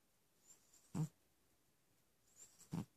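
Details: Persian cat (Felis catus), snoring.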